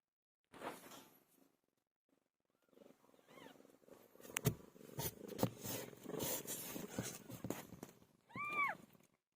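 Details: Pilo, a pet cat giving birth, purrs in a rough, rumbling stream with rustling and scraping movement, a faint meow early on and a clear, bending meow near the end.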